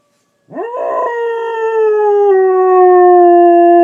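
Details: Pet dog howling along with a fire alarm: after half a second of quiet, a tonal howl swoops sharply upward, then holds one long, rich, steady note that sinks slightly over three seconds. No alarm tone clearly stands out.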